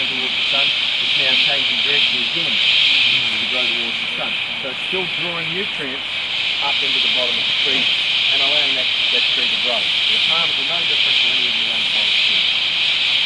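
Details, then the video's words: Insects in tropical rainforest at Tamborine National Park, Australia, forming a steady high-pitched buzzing drone that pulses gently throughout, with people talking over it. "bruit dans la foret tropicale (insectes)"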